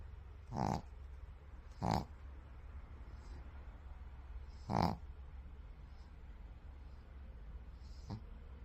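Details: A sleeping white pug snores in short, rough snorts spaced a few seconds apart.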